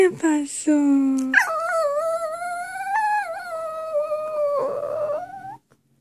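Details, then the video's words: Dog singing indoors: one sustained, tonal howl that starts with short yelping notes, then holds steady and slowly rises in pitch before stopping abruptly. "Bullet Singing"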